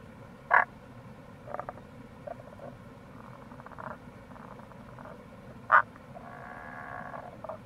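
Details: Rana tagoi near a gorge by the Kamo River in Itoshima, Fukuoka, in April: two sharp croaks stand out among faint pulsed calls, over constant flowing-water noise.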